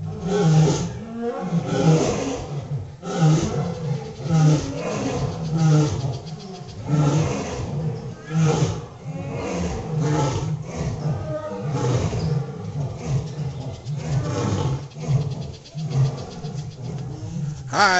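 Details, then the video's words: Lions at a wild animal sanctuary roar at night in deep, rumbling bursts, each heavy grunt close on the last, near a drying creek after rainy season, with peacocks and a tiger also audible. "you enjoy that? That was the lion's roaring as you could see. You"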